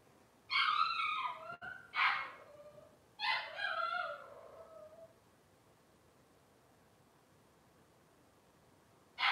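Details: Cavalier King Charles Spaniel puppies in Robin's litter, filmed on a live kitchen camera: three quick, loud, wavering cries close together, then quiet, with a final cry starting at the very end.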